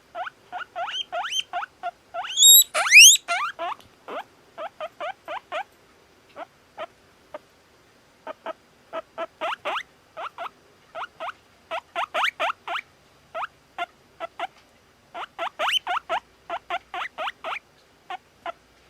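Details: Guinea pig giving rapid short squeaks and chirps in irregular bursts, with one longer rising whistle early on, then quieter clipped notes continuing against a silent background.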